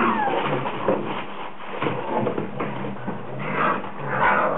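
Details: Several Rhodesian Ridgeback puppies in a frenzy, producing a dense overlapping chorus of high whimpers and squeaky yips that continue without pause, echoing as in a small indoor room.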